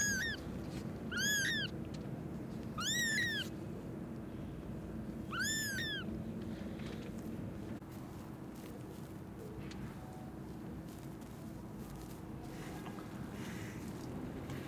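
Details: Newborn kittens crying in an old warehouse, heard in the evening before their rescue: four high, arched mewing cries in the first six seconds, then quieter, with a steady low hum in the background.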